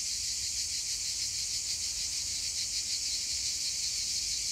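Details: Cicadas singing on a hillside fill the landscape with a steady, high, hissing buzz that pulses gently and never lets up.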